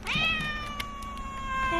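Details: Calico community cat outdoors on a breezy day, giving one long drawn-out meow that starts with a brief rising onset, then holds a steady, slightly falling tone before tapering off.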